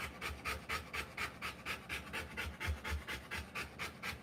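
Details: A Rottweiler pants while giving birth to puppies. The rhythmic breaths are quick and regular, about four per second, each a hissing puff, with no other sounds.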